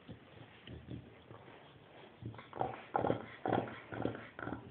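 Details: Chow Chow grunting like a pig: faint shuffling at first, then a series of louder, rasping, piglike grunts about twice a second, some with a slight tonal edge.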